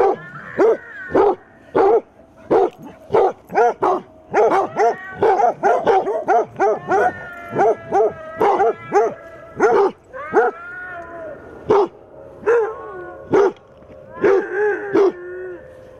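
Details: Basset hounds from a pack of eight confronting a mechanical Halloween cat decoration. Rapid, repeated deep barks come in quick succession, broken by several longer baying howls with a steady tone, and a brief pause near the middle.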